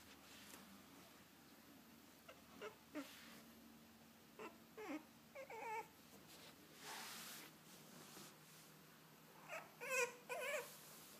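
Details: French Bulldog puppies, filmed 9-12-13, give short, high squeaky whimpers in scattered bursts.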